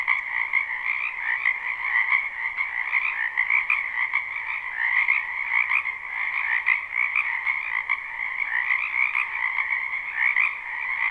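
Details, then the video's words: Unlooped live recording of frogs in a spring wetland: a thick chorus of fast, rattling croaks blends into a constant drone with small repeated swells, and no other sound intrudes. "Ambient Noise for Sleep Frogs"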